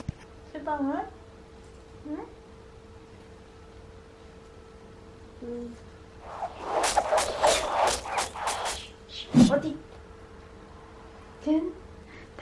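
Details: Taya, a talkative two-year-old male silver poodle, demanding conversation at home: brief high wavering whines near the start, a long stretch of rough, noisy grumbling bursts in the middle, then a sharp yelp and a final short whine over a steady low hum.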